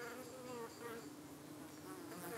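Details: UK honey bees at their hive being irritated by three or more suspected parasitic flies in the evening. A dense steady buzzing drone, gently fluctuating with shifting higher overtones.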